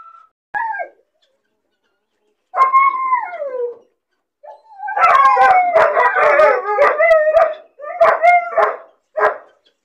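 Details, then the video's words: A puppy left alone in a cage, lonely and bored, cries in long wavering howl-like whines that slide downward, then breaks into a dense stretch of overlapping yelps and barks, with a few short barks at the end. "Puppy crying and barking sound , loneliness and bored puppy cries"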